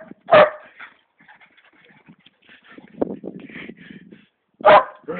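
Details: Male Greyhound chasing his tail in a home garden, giving two loud yipping barks about four seconds apart, with soft whimpers and low grumbling sounds between them and a person's voice close by.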